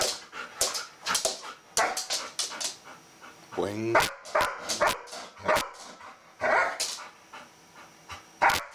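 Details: Female Golden Retriever pet excitedly vocalizing because she wants to play with a bristlenose catfish; rapid sharp yips and barks with a drawn-out rising-falling whine near the middle, while a person talks in the background.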